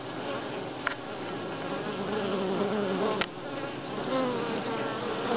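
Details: Honey bees buzzing at Grass Lake Sanctuary, week six, July 25, 2011: individual bees pass with gliding wingbeat tones over a steady background hum, two brief sharp clicks interrupting.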